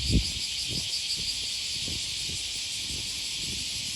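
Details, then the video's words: Morning cicada chorus along the Okawa River by Sakuranomiya Park in Osaka, Japan, early August 2020, a continuous high sizzling drone that never pauses, while footsteps thud regularly underneath. "Walking along the river, with the voice of a cicada"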